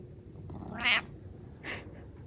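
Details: Domestic cat giving two short, nasal meows about a second apart, the first louder and fuller, the second quicker and softer, in a quiet indoor room after a person calls to it.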